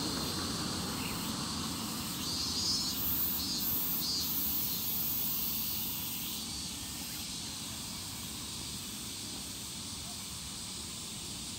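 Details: Evening cicada, or higurashi, recorded in Japan: a dense, shrill insect chorus with steady high buzzing bands and pulsed bursts near the top, plus a constant low rumble.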